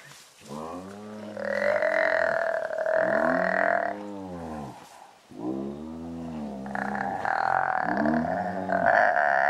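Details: Several spotted hyenas fighting over an impala carcass, giving loud, drawn-out, harmonic groaning yells that overlap and arch in pitch, in bursts of a few seconds separated by a brief lull.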